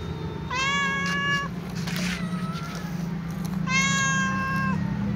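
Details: Calico cat meowing while walking, asking for food among other cats; two long, drawn-out harmonic meows, each about a second, the second slightly rising at the start, over a steady low hum.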